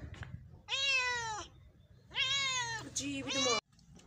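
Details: Cat drinking milk, also eating bread, producing two long steady meows, the second ending in a quick rising yelp, with faint human speech and room noise in the gaps.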